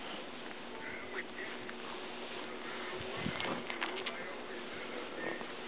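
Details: Gizmo, a female pet ferret, makes quick, soft clucking chuckles in short bursts, somewhat quack-like, over a steady hiss of background noise in a muffled, low-quality indoor recording.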